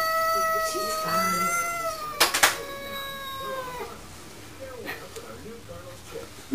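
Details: Cat fight through a glass door as a neighbourhood bully cat confronts a resident cat: two sustained, moaning yowls slowly sliding downward, a sharp knock between them, then quieter short mewing sounds.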